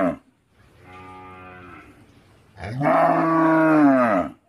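A cow gives a soft moo, then a louder, drawn-out bellow with a rich harmonic tone.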